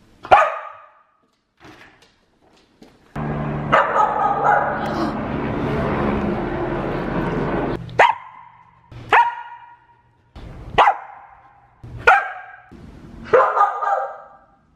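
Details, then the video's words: Pet Samoyed Aria barking indoors: sharp, clipped barks spaced roughly a second apart, interrupted by a few seconds of broad rumbling noise, then five more loud single barks near the end. "Samoyed Barking and Howling Compilation"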